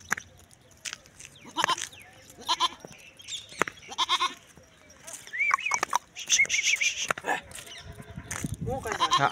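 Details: Barbari goats give short, wavering bleats amid clattering noises and faint human voices.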